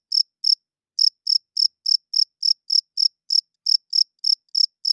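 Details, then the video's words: Cricket chirping loudly at night: short, high, pulsed chirps, each a tight burst, repeated about three times a second with one brief pause near the start, over complete silence with no other sounds. "Cricket Chirping Sounds - Cricket klinkt 's nachts luid"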